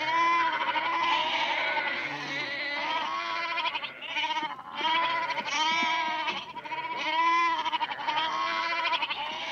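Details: Goats at Berkeley Lab heard up close, a dense chorus of continuous trembling bleats overlapping one another, nasal and harmonic, with hardly any gap between calls.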